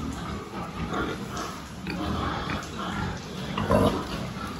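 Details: A pig health check recorded 26 October 2023: short, low, rough grunts repeated about every second, with one louder, brighter grunt near the end over a background hum.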